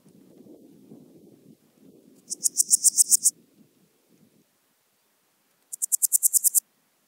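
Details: Podismopsis keisti, the Swiss gold grasshopper, recorded at Wildhaus, Switzerland, in October 2022: two high buzzy pulse trains of about ten ticks each, separated by a pause, after a low rumbling noise early on.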